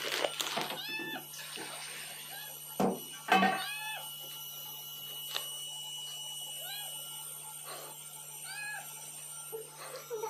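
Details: Three-coloured cat, annoyed and begging to be fed. A rapid string of bent meows is interrupted by loud thumps early on, then spaced single meows roughly every second or two, with constant background hum.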